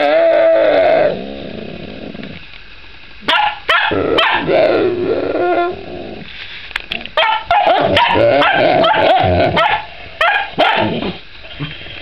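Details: Young dog Bob Barker barking at housemate Koda, who is chewing a rawhide; a long whine opens, then a pause, followed by rapid sharp yips and barks in quick irregular bursts with short whimpers between.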